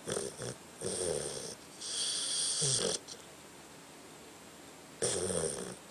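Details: Tucker, a pet dog, snoring in his sleep: raspy, wheezing breaths in bursts of about a second, separated by short quiet pauses, with hissy high-pitched overtones.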